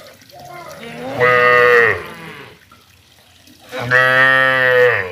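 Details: Cow giving two low, steady, harmonic-rich moos: a shorter one under a second long, then after a pause a longer, fuller moo lasting over a second, with a faint hum between calls.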